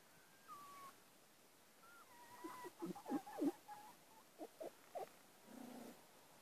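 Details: Fox cubs three weeks old at Bjørneparken, growing adventurous: thin whistled whines slide down at first, then a quick run of short squeaky yelps, ending in a soft low grumble.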